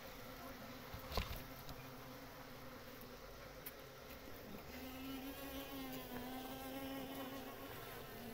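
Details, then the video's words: Swarm of honey bees (Pahadi Makhi) at a natural nest while building comb and storing honey; continuous layered droning, with a single bee's buzz rising and wavering close by in the second half and a brief click near the start. "Honey Bees Nest comb building and storing honey"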